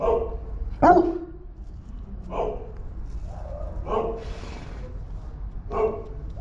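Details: Three-month-old male Boerboel puppy, a new family dog already guarding his house, giving short barks roughly every one and a half seconds, one louder and sharper near the start, over low background rumble.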